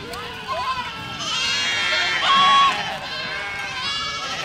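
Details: Goats passing through a village as a flock; softer bleats at first, then a swelling chorus of quavering calls peaking mid-clip with one steady held note, fading slightly afterward.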